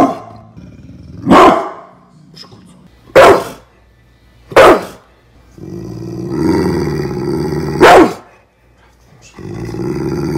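A pit bull gives loud, sharp barks, spaced a second or two apart, between low rumbling growls.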